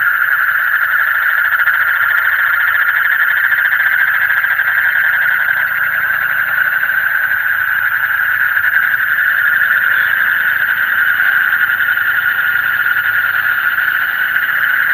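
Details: Frogs calling in the deep night: a dense, unbroken chorus of fine rapid pulses merges into one steady, shrill mid-pitched drone that holds for the full fifteen seconds, with no other clear sounds.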